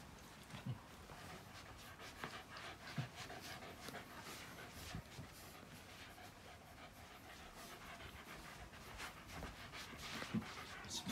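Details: Female Shiba Inu named Mako, born 2016, frightened by thunder, restless and trembling and wanting to stay close to someone, panting steadily with quick breathy, noisy puffs and occasional soft low sounds, heard indoors.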